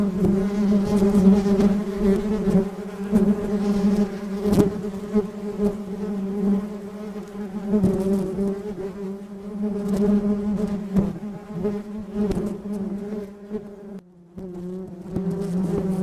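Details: Bee buzzing steadily with a low droning hum and layered overtones, the pitch wavering slightly as it flies, with brief sharp clicks and a short drop-out near the end.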